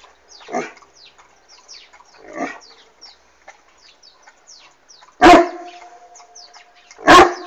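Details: Bastian, an Irish Wolfhound, reacting to a hot air balloon overhead: two soft muffled woofs early, then two loud booming barks near the end, faint bird chirps in the background.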